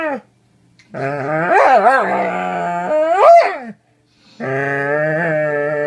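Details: Doberman voicing three drawn-out, strongly harmonic howling whines indoors. The middle one wavers up and down, then swoops sharply upward near its end. Short silences separate the calls, and the last is a steady, even-pitched moan.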